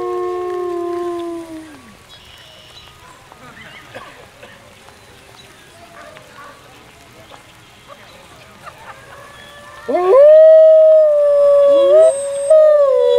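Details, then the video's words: Wolfgang, a wolf and alpha of the Main Pack, howling at Howl Night as a crowd joins a final howl: long smooth falling tones open the clip, a quieter stretch with applause follows, then a loud sustained steady howl with bright harmonics. "Wolfgang Howls at Howl Night"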